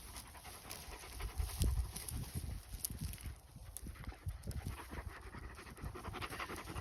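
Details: Akbash shepherd dog panting while out on a walk in the village countryside: rapid, breathy, irregular low huffs running throughout, with light rustling and footstep noise alongside.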